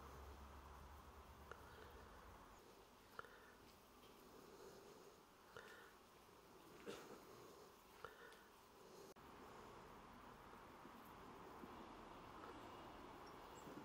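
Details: Bees recorded 28 September 2023 hum continuously, with several louder whirring passes as individuals fly close, each lasting about a second, over a low background drone.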